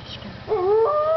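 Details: Howling wolves at Parc Oméga, recorded 7 March 2013: a sustained tonal howl starts near half a second, two overlapping voices holding steady, slightly wavering pitches, one higher than the other, with faint low hum beneath.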